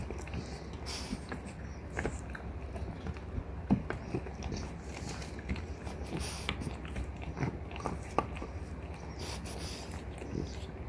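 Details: French Bulldogs Ume, a three-year-old mother, and Roku, her eighteen-month-old daughter, gnaw deer antler indoors, giving dense rasping scrapes and scattered sharp clicks above a steady low background hum.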